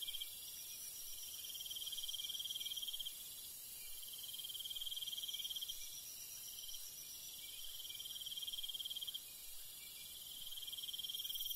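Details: A countryside night chorus of crickets: continuous high-pitched pulsed chirring that swells and fades gently every few seconds. A fainter hissing layer sits above it, with no other clear sounds.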